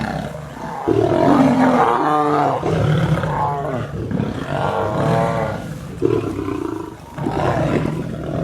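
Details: Angry roaring as a lion and lioness fight: repeated harsh snarling bursts of one to two seconds, some with quavering tonal growls, separated by brief dips, loud and close.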